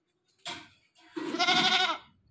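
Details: Newly bought domestic goat calling constantly: a short harsh bleat followed by a longer, quavering, nasal bleat lasting under a second, in an otherwise quiet setting.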